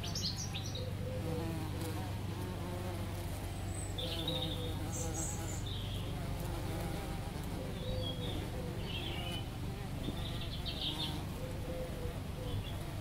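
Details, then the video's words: Buzzing of two bees working a lavender bush, a wavering drone that keeps going throughout, while birds chirp repeatedly in the distance. "bees on lavender bush"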